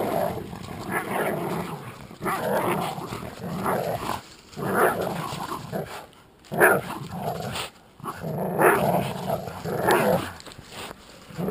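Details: Jack Russell Terrier and American Staffordshire pit bull playing tug of war, with bursts of rough growling and snarling that rise and fall over several seconds, separated by short pauses.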